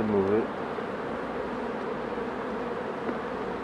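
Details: Hive of honey bees during a beekeeper's work: after a brief spoken word, a constant, smooth droning hum fills the rest of the moment.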